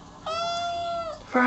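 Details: A kitten gives one long, level mew lasting nearly a second, then a sharper sound begins at the end.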